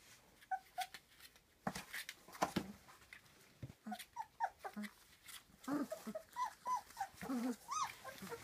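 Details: Three-week-old puppies of a litter whimpering and squeaking indoors: many short, high, wavering whines and yelps overlapping, growing busier and louder toward the end, with a few soft low grunts.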